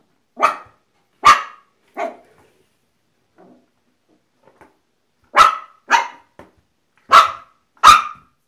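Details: Apricot Miniature Poodle barking indoors: sharp, bright barks in two bursts, three spaced yaps, a pause of about three seconds, then four quicker barks close together.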